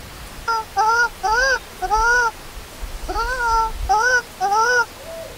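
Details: Baby monkey Lori, a hungry newborn left alone by its mother, crying loudly: a run of clear, arched wails, each rising then falling, repeated in bursts of four, a short pause, then three more.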